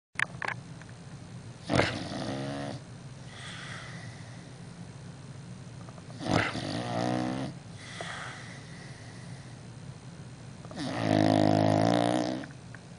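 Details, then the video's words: An English Bulldog with a severe snoring problem snores loudly in harsh, rattling bursts, each drawn breath rasping and rumbling. "Bulldog Lovers English Bulldog With Severe Snoring Problem"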